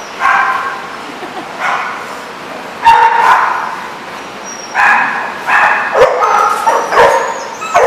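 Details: Several dogs at The Barking Lot, RI, on 1/31/14 bark in quick irregular bursts, bright harmonic yaps piling over one another, with sharp knocks and a faint thin whistle-like tone.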